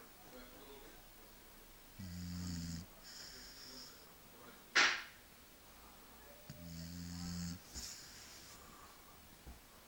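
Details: A sleeping Shar Pei snoring indoors, said to snore like a person: two drawn-out rumbling snores about four seconds apart, each low and layered with an airy hiss, a sharp click between them and faint voices.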